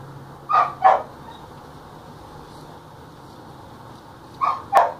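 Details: Belgian Malinois during attack practice, giving two sharp barks close together near the start and another pair near the end, with quiet steady background between.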